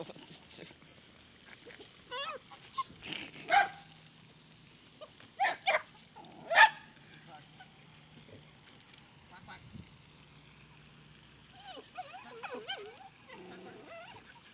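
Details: A dachshund, angry at ducks alongside other animals, gives a few sharp, yappy barks spaced a second or two apart.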